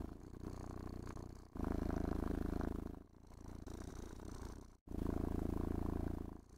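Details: Domestic cat purring with contentment while being brushed, groomed and stroked indoors; steady low rumbling purr alternating between louder and softer phases, each lasting about one and a half seconds, with a brief gap near the end.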